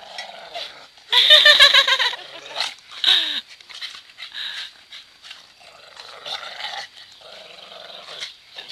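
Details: Two dogs, a breeding pair with young puppies, playing and fighting over a rope; a loud burst of harsh pulsed growling and yelps, then softer whines and grumbles, with a woman talking nearby.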